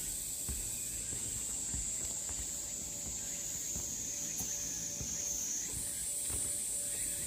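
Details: Cicadas along the Deogeumsan Solbaram-gil trail in Namwon, South Korea, on 16 August 2019: a steady, unbroken high hiss-like drone that holds level, then jumps slightly higher near the end, over faint low knocks and rustles.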